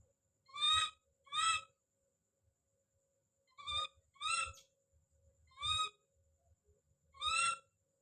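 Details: Calling baby monkey named Don: six bright rising cries, mostly paired and quickly repeated, separated by gaps of quiet with light background knocks.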